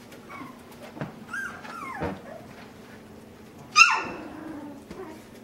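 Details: Puppies in a pen fitted with overhead obstacles and things to climb on give a few high whining whimpers, one sharp rising yelp near the end, amid faint bumps and rustling.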